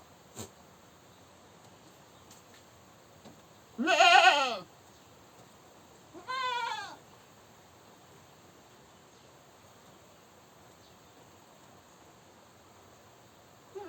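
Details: Goat screaming: one loud, hoarse, arched bleat lasting almost a second, then a softer, thinner bleat two seconds later, followed by a long quiet stretch.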